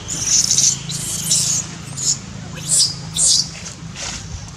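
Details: Baby monkey Dito crying loudly as its mother Daisy disciplines it: a run of high, harsh squealing bursts, some drawn out and some short, over a steady low rumble of background noise.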